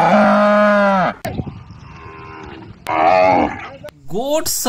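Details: Cow lowing in a children's animal-sounds lesson: a long, deep, steady moo lasting about a second, then a quieter pause, a second shorter moo, and a brief rising bleat-like note with clicks at the end.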